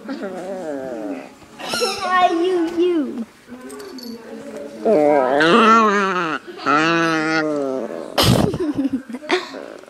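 A dog makes wavering, drawn-out whining and howling noises that rise and fall in pitch.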